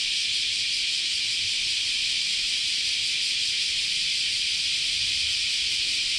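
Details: Summer cicada chorus recorded at Chionji Temple, Kyoto, Japan: a constant, high, sizzling drone of numerous insects, even in loudness from start to finish, nothing else clearly audible.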